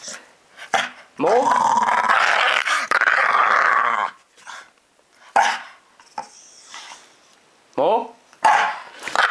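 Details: A two-year-old house dog growls while begging for more scratching in July 2012. A long, grumbling, harmonic growl runs for about three seconds, then short whines follow. Human speech is heard throughout.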